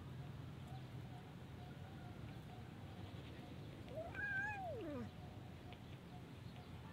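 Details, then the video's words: Mother cats and kittens living at a pagoda, meowing to ask for food; a single drawn-out meow rising then falling over about a second, in an otherwise quiet setting with a low background hum. "Mother cats and kittens Pagoda Talking " Meow Meow " asking food me"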